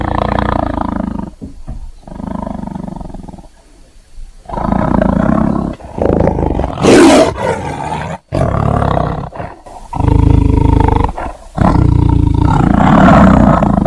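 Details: Tiger roaring in repeated loud bursts of deep, rough growling roars separated by short silences, with harsh broadband peaks mid-sequence.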